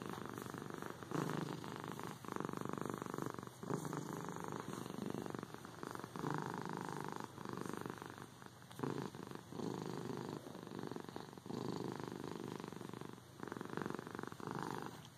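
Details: Long stretch of cat purring, a deep rattling hum rising and falling with breathing about every one to two seconds, consistent and soothing with no other noises.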